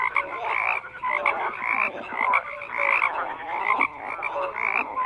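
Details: A thick chorus of frogs, croaks stacked and overlapping, short bursts of pulsed calling rising and falling every second or so, with scattered clear tonal peeps among the rougher rattling notes.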